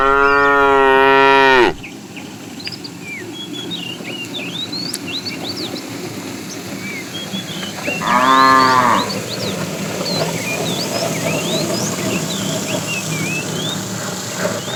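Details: Morning herd of tame cows on the way to green grassy fields; a long loud moo opens, a second shorter moo follows about six seconds later, over constant chirping birds and a low rumbling background.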